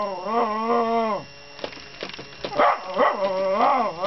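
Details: A Miniature Schnauzer that normally never barks reacts to a robot coin bank with drawn-out, tonal whining cries that bend up and down in pitch.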